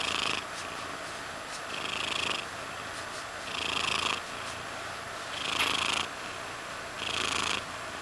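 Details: A domestic cat named Mysli purring indoors, a steady rasping drone with louder breathing-phase swells roughly every one and a half seconds.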